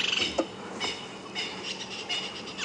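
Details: On a morning drive at Djuma Game Reserve, South Africa, 10 March 2016, an upset tree squirrel alarm-scolds in rapid dry 'ch-ch-ch' volleys, perhaps at a bird of prey or snake after rain, with francolins, insects and birds behind.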